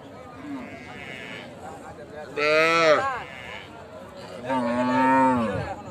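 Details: Calf mooing: three drawn-out, harmonic-rich calls with a wavering pitch, the middle call loud and strained and sliding downward, the last steady and then falling at its end; faint voices in the background.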